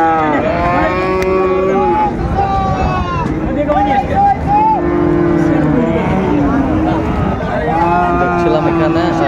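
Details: Several short, low moos at intervals from bull calves, Friesian and cross-breed, for sale at Raniganj market in Dinajpur, Bangladesh, on 26 December 2024. Voices bargain throughout amid a busy crowd.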